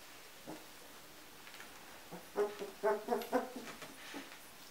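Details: Giant Schnauzer from the vom Windpark G litter born 10 January 2015, sired by Edgar von Ermada out of Dark Sihu vom Haus Usti; a few scattered faint squeaks, then a brief cluster of sharp, tonal whimpering yelps before quiet returns.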